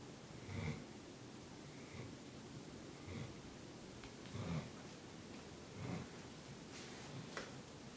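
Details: Molly, a Bloodhound puppy, snoring as she sleeps: soft, low, breathy rasps come about every one and a half seconds, with faint hiss between them and a few brief higher clicks near the end.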